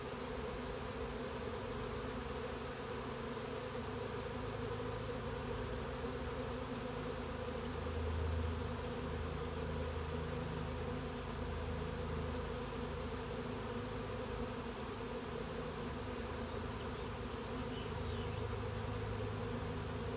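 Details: Swarming honey bees settling into a Warré hive by a Himalayan blackberry hedge, Olympic Peninsula, USA, on a mild June afternoon in 2025; a continuous low droning buzz with slight swells in loudness persists throughout.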